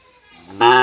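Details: Khillar cattle, a native Maharashtra breed, kept for bullock-cart racing: a sudden loud moo bursts in after near-silence, a low, rich, steady tone lasting under half a second and cut off at the end.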